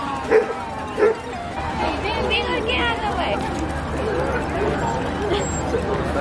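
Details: Basset Hound, a calendar cover dog, at Basset Fest: two loud, sharp barks about a second apart, followed by human voices talking and general crowd chatter.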